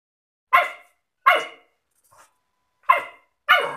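A German Shepherd puppy gives sharp, high barks in short bursts, with irregular pauses between them.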